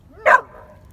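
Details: Samoyed puppy going into water for the first time gives a single short, sharp bark that rings with a slight echo.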